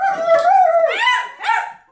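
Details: German Shepherd howling at a vacuum cleaner: a long tonal howl sliding gently near one pitch for almost a second, then two shorter rising-and-falling wavering howls, the last fading out.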